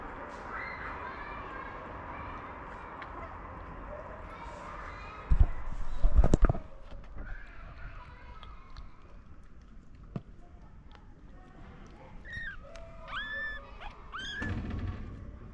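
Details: Stray mother cat in Morocco meowing gently to ask for food while her kittens sleep; a few short, arched, rising-then-falling meows cluster near the end, after thumps and background voices.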